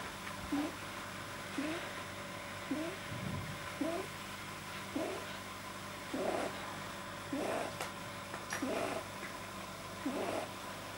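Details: Pet rabbit Pamuk, recorded 9 January 2010, deeply relaxed and producing an unusual noise that a vet linked to a too-long soft palate: short snorting huffs repeated roughly every second over a steady electrical hum.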